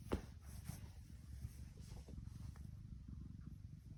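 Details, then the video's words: Soft, low purring from Tiki, a happy female tuxedo cat, a quieter pulsing rumble opening with a sharp click and carrying on evenly throughout. "Can you hear her purring? Tuxedo Tiki"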